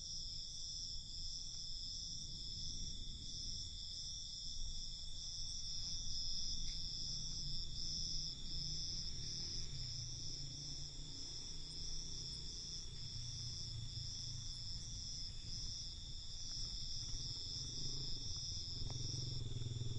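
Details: Nighttime crickets in a steady, bright, high-pitched trilling chorus that pulses faintly but runs without a break. A low hum underneath grows stronger toward the end.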